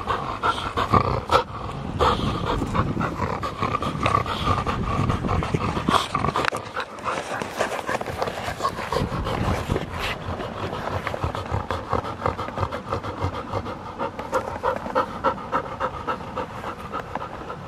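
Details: Field-type Labrador Retriever panting while playing with a ball: fast, rough breathy puffs, roughly three per second, uneven in strength, with some louder knocks and scuffles early on.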